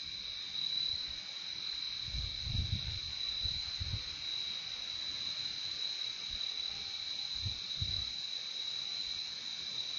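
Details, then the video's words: Nonstop cricket chorus, a high, even, ringing trill that never pauses, while a few soft low thumps sound in the background early on and again near the end. "Relaxing sound of crickets"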